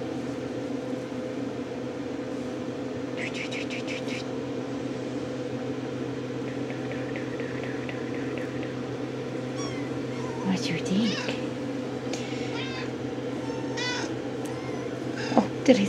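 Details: Young RagaMuffin kittens, Shrek litter at ten and a half weeks, waking up inside a small room: bursts of quick, repeated high mews early on, then scattered sharper meows later, with a woman talking gently and a constant mechanical hum.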